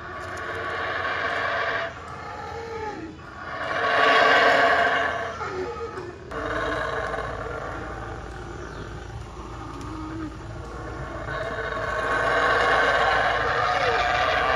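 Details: Howler monkeys howling loudly at night near Palenque, Mexico; repeated rasping roars swell and break in bursts of a few seconds, several overlapping, rising to a strong peak before continuing in rougher waves.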